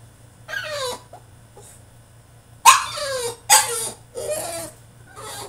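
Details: Caged French Bulldog in a tantrum, giving falling whiny yelps and a couple of sharp cries separated by brief quiet gaps.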